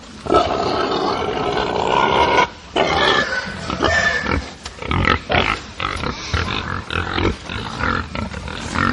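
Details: Farm atmosphere with angry pigs, many animals at once: a sustained loud squealing chorus at the start, a short lull, then choppy bursts of grunts and shrill squeals roughly once a second.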